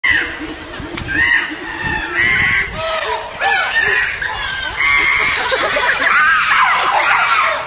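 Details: Carlos, the alpha male chimpanzee at Chester Zoo, runs upright and waves a branch over his head as he charges at the rest of the troop. Rising and falling hoots and shrill screams from several chimps overlap, with loud crowd noise around them.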